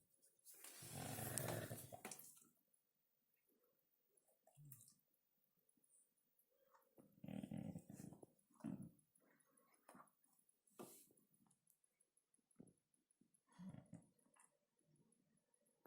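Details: Indoor Siberian Husky sneezing because something tickles its nose: a long, forceful airy blast early on, followed by several shorter snorting puffs and sniffs scattered through a quiet room.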